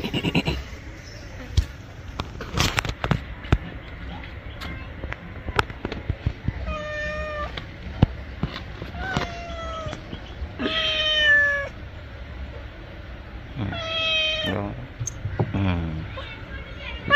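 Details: Pet cat, said to be angry while being bathed, giving a series of drawn-out, level meows spaced a few seconds apart, among sharp knocks, clatter and people talking in Bengali.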